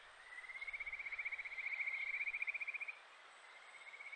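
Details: Japanese stream frog (Kajika frog), wild in Japan in July, gives a fast regular trill of pulses, rising slightly and lasting about two and a half seconds. A fainter trill starts at the end over low background hiss.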